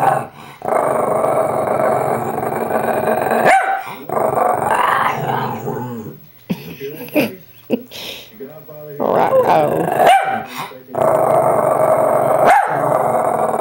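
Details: Shih Tzu "talking" back to its owner at home: long stretches of throaty, wavering growl-moans in several drawn-out bouts, separated by short pauses and interrupted by the owner's speech and sharp handling clicks.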